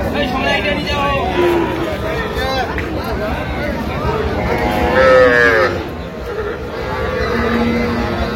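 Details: Dairy cows with calves at Ambari Haat cattle market, Dinajpur, Bangladesh, on 31 October 2025. A long, arching bellow swells midway, with shorter lowing before it, all over busy human voices and background bustle.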